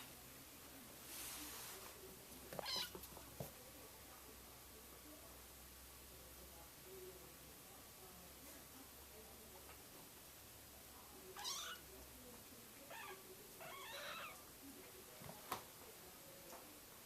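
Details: Four 5-week-old RagaMuffin kittens from Sienna's litter explore their world indoors; a few thin, high, wavering meows rise near the end, with scattered thumps, patter of small paws and soft background speech.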